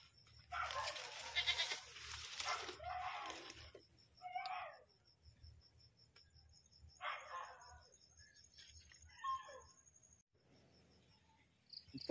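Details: Domestic goat bleating while being milked, several nasal wavering bleats spaced a few seconds apart after an opening stretch of louder noisy calling, over a steady high electrical whine.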